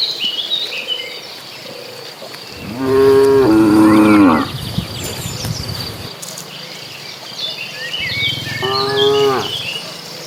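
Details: Two deep, drawn-out moos, the first almost two seconds long and a shorter one later, from a herd of dozens of cattle heading to green grassland; birds twitter throughout.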